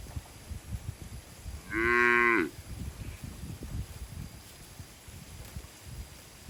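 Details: Herded cattle in a forest heading to the shed; a single brief, loud moo lasting under a second stands out against low rustling and rumbling background noise.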